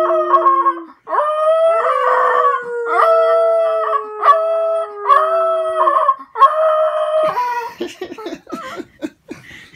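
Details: Miniature Pinscher very excited before going for a walk, howling in long sustained harmonic notes several seconds each, repeated with brief gaps, ending in a burst of choppy yips and clatter.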